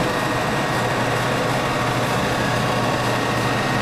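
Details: A constant loud, broad mechanical hum like a running engine or blower persists throughout, with no animal voice.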